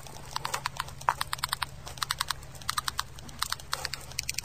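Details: Termites communicating by tapping their heads on the timber they are eating: sharp dry clicks in rapid irregular bursts, like light typing, over a low steady hum.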